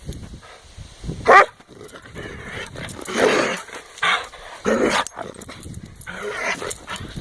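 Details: Dog mouthing and lunging at a hand in play; short raspy growls and huffs come in separate bursts, with one brief higher squeal early on and rustling between them.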